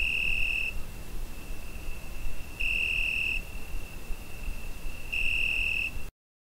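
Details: Cricket calling on a summer night, Zoom H5 recording: three piercing high trill bursts spaced about two and a half seconds apart over a faint constant tone and low hum, ending abruptly in silence.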